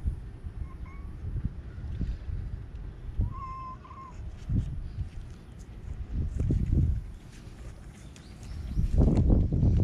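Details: Stray white kitten from Okinawa, Japan, being held, with a faint thin mew followed by a longer, wavering meow, amid muffled rustling and bumps from handling.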